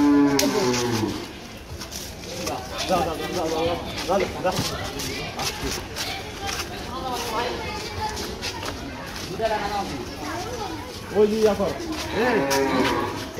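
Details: Cattle bought for Qurbani at Eid ul-Adha 2024, on the way home; a long lowing moo opens, then wavering moos recur amid people talking and street noise, with another moo near the end.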